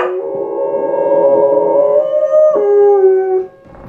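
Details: Two pet dogs, Indy and Oz, howling together: long steady tonal howls held near one pitch, one voice sliding slightly upward then dropping to a lower sustained note before a sudden stop.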